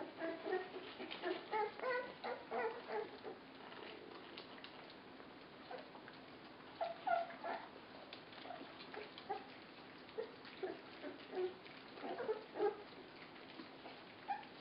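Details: {'caption': 'While being fed, 24-day-old puppies make quieter scattered squeaks and short whines, several per second at times, over a steady low hiss.'}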